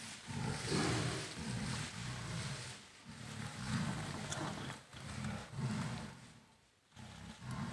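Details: Two wild tigers, a dominant mother and her 26-month-old daughter, fighting in Kanha National Park, India, as the mother drives the daughter from her territory: deep rumbling growls in repeated low pulses, with broadband noise.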